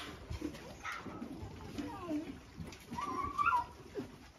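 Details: A male dog attacking a female dog while she eats; rough low growls and scuffling sounds give way to high, wavering whines and yelps near the end, amid noisy background.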